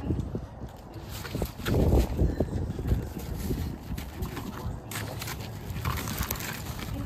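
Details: Two French Bulldogs fighting on a balcony growl and scuffle, a low, rough rumble broken by irregular bursts.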